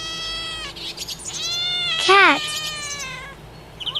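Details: Cat meowing in a series of harmonic cries, some long and level, one louder rising-and-falling wail near the middle, with background noise and faint chirpy sounds at the end.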